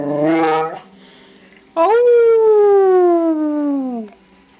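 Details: Pet dog howling in answer to its owner's attempt at a howl: a brief wavering human-like howl, a pause, then a long smooth falling howl lasting about two seconds.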